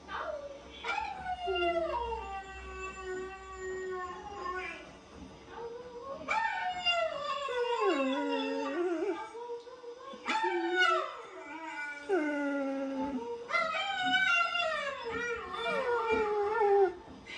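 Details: A 4-year-old ex-racing greyhound, a nearly silent dog, roos in long, wavering howls that slide downward, in several bouts a few seconds apart, in response to recorded dog sounds.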